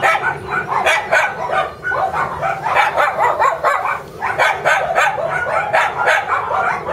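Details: Shiba Inu puppy, energetic and expected to stay small like a mame shiba, barking in a long excited series of sharp, high yips, closely spaced and fairly uneven in rhythm, carrying on without pause for seven seconds.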